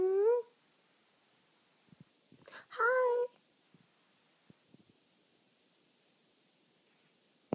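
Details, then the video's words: Corgi told to speak gives two short wavering, tonal whine-like vocalizations, one at the very start and another near three seconds, with a quiet indoor room and faint scattered clicks between them. "Talking Corgi"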